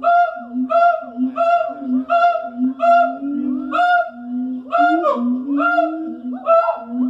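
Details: Morning siamang calls at the Columbus zoo, Asian primates known for far-carrying voices: repeated honking barks roughly every half second, with rising swoops and overlapping whoops from more than one caller.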